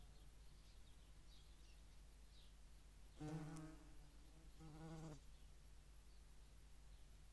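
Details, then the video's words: Wing hum from a European hornet visiting a feeding place in the Eifel at Dohr on 11 July 2022, where median wasps also feed: two short low buzzing bursts half a second apart, with faint ambient hiss around them. "Europäische Hornissen und Mittlere Wespen am Futterplatz"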